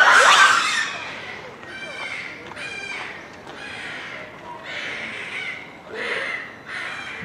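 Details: Japanese macaques in a zoo troop at Hamura, Japan, calling at dusk in December 2020 just before closing; opens with a loud harsh scream, followed by bursts of clear harmonic coos repeated roughly every second.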